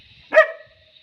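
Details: German Shepherd puppy in a training session learning a watch command; a single short bark with a brief trailing tone.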